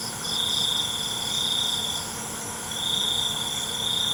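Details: Night-time cricket song: two sustained, even-pitched trills of about two seconds each with a brief gap between, set against a continuous high insect hum.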